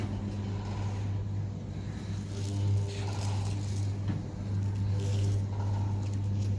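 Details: Steady low engine-like drone with scraping and rustling noises, with no animal voice.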